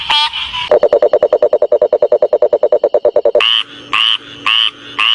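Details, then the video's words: Frog calls of more than one kind: a fast run of pulsed, buzzy croaks, about eight per second, then a short series of higher, sharper chirps about every half second. "Different Sounds of FROGS"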